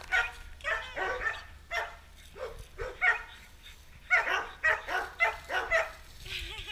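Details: Torque, a dog staying at Bass Pet Resort & Spa in Kissimmee, Florida, playing with a hose in the sun: a run of short, high, harmonic barks and yips, grouped in bursts roughly every half second with brief pauses.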